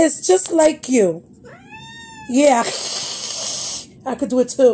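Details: Pet cat indoors giving a drawn-out, arching meow that rises and falls in the middle of the recording, with a person talking over and around it before and after.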